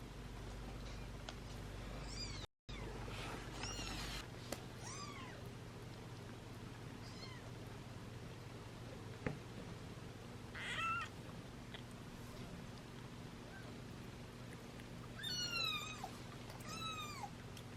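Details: British Shorthair kittens, seven in a litter being syringe-fed formula beside their nursing mother, give scattered thin arched mews in short bursts amid handling noise and a low steady hum, with a brief dropout early on.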